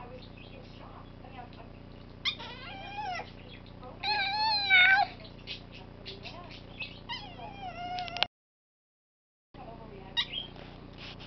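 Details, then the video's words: Bitsy the cat, wanting to come up, gives a series of wavering, harmonic-rich meows, with a louder warbling burst near the middle, then falls silent briefly before one more short call over a low background hum. "Bitsy wants to come up"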